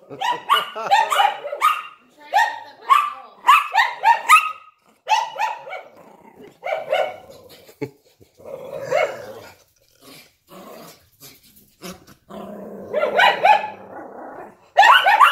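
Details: A Yorkshire Terrier barking in a window alongside a Lhasa Apso gives rapid, high-pitched yapping barks in quick, uneven bursts.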